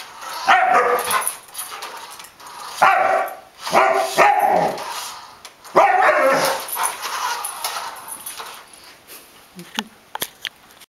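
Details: Pet Samoyed dog being chased by a remote-controlled toy armadillo, giving loud harsh barks and yelping bursts in clusters, with pauses between outbursts and faint human voices in the background.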